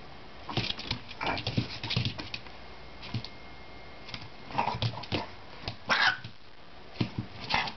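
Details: A Chihuahua scolds a persistently pestering Jack Russell Terrier puppy with sharp snappy barks and grumbling growls in a small room.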